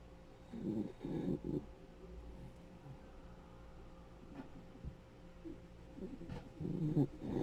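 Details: Rescued senior male Dachshund, ten years old, snoring while asleep: low, rough, rattling breaths in short bursts, a cluster near the start and another near the end, quiet between.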